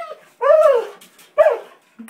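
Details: Female springer spaniel named Abby barking at a water bug seen in a bathtub indoors; two drawn-out, high, slightly whiny barks about a second apart.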